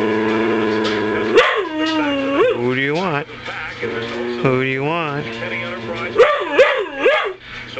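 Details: Insistent male whippet wanting something immediately "talks" in sustained, wavering howl-whines with quick upward swoops. Several bursts are separated by short pauses, with a person's voice nearby asking what he wants.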